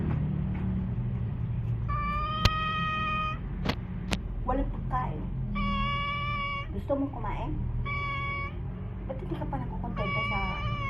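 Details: Domestic cat, named Tiger, meowing repeatedly: several drawn-out harmonic meows of about a second each, with a woman speaking Tagalog about food and hunger, faint clicks and a low background hum.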